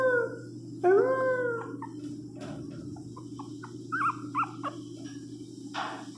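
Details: Teco, a Pinscher dog, cries out while being given flea medicine: a loud rising-then-falling wail with layered harmonics, followed by softer short whines and a final brief yelp, steady electrical hum underneath.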